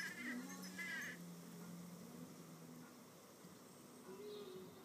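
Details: Red mason bees fighting over a nest cavity; a steady low droning buzz holds for about three seconds, and a short harsh bird call sounds over the opening second.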